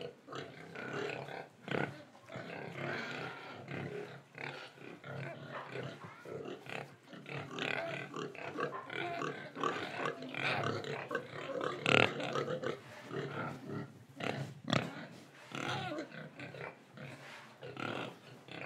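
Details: Pig in Indonesia, breathing and eating, heard as a continuous stream of overlapping grunts, snuffles and chewing noises with no clear pauses.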